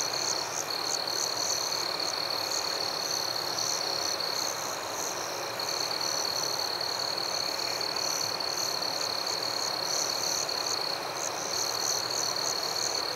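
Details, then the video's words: Forest crickets at night give a sustained high-pitched trill, with regular bright chirps layered above it that briefly drop out around the middle, all over a constant airy hiss. "Crickets at Night"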